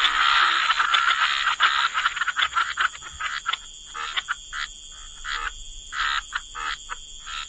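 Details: Frogs croaking by the waterside in wetlands, a chorus of short raspy pulses, dense and overlapping at first, then thinning into separate bursts several times a second, with a steady high hum underneath.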